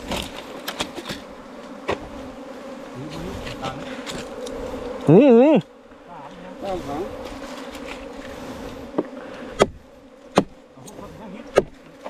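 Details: A colony of honey bees nesting in a bamboo stem 4 metres long makes a continuous low hum. A brief wavering human voice sounds midway, and scattered taps and knocks follow.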